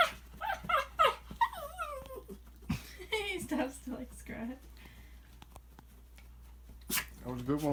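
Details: A male Shih Tzu, coaxed into making weird noises, gives a run of strange, wavering whines and warbling groans that rise and fall in pitch, with a person's voice and room noise heard between the sounds.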